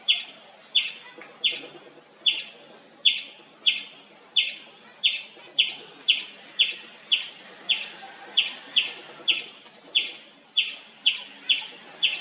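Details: Nonstop loud chirping of a wild Indian palm squirrel: around twenty sharp, high, clipped chips in a long even series, roughly two per second, each followed by a short buzzy fade, background otherwise quiet.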